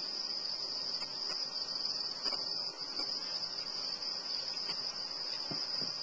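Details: Small quarter-inch crickets, a feeder stock, keep up a dense, high-pitched, unbroken trill throughout, steady in loudness, with occasional faint clicks and rustles beneath.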